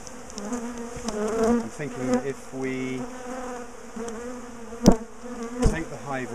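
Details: A big bee colony, known for chasing its owners down the garden, is taken apart from its top bar hive; a low, even buzz of many bees runs throughout, with a short steady tone midway and scattered sharp knocks.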